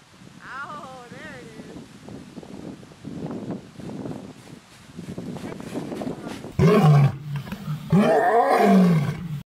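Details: Male white tiger at a refuge, a very vocal cat that likes to run down the hill after departing staff cars: quieter rough vocal sounds, then two loud, deep, harsh roaring calls near the end, with a human voice early on.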